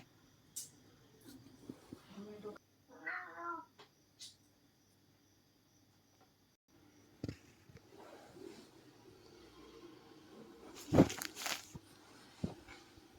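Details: Domestic cats fighting at night indoors; one short, harmonic, wavering yowl rises out of the quiet, surrounded by men talking, knocks and thumps, and scattered household noise.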